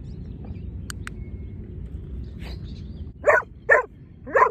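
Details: Giant Schnauzer barking during lure training, one of two dogs present: after a stretch of low rumbling background and faint bird chirps, three loud, deep, rough barks come in quick succession about half a second apart.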